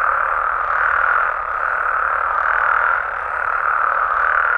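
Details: Frogs and toads in Mexico at night, a brief stretch of dense overlapping croaking that swells and dips slightly in loudness, with no other sounds standing out.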